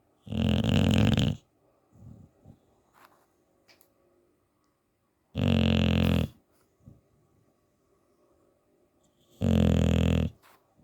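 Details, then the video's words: A sleeping English bulldog snores loudly, three deep, rough, rattling snores each lasting over a second, about every four seconds, with quiet breathing and small rustles between them. "Bulldog Snoring"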